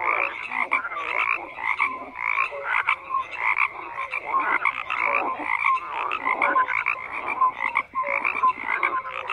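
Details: Frogs croaking in a loud, unbroken chorus of raspy, pulsing calls that swell and fade in short waves, with occasional short tonal peeps cutting through.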